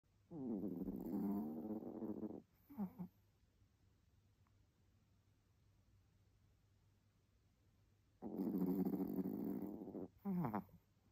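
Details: Loud snoring from a Chihuahua: two long, rough, droning snores about two seconds each, each followed by a short snort, separated by a quiet pause of several seconds.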